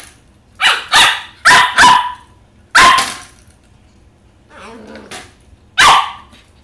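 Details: Playful 11-week-old Corgi puppy Oppie barking at a cat toy he cannot reach: a quick run of four high barks, another bark, a low grumbling growl, then a final sharp bark.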